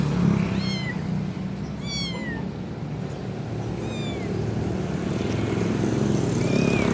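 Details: Kitten calling for its mother; several thin, high meows sliding downward, with faint, scattered later calls as a low traffic-like rumble grows louder.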